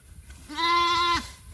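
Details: On a small goat farm during a search for a missing young goat, a goat gives a single clear, level, nasal bleat of under a second, with quiet outdoor rustling before and after.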